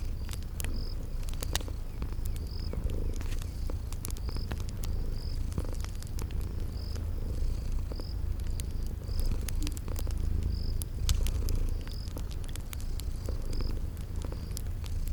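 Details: Sleeping kitties purring in a cozy spring garden setting beside a crackling fireplace: a steady low rumbling purr runs throughout, with sharp crackles of fire and short, repeated high cricket chirps roughly every half second.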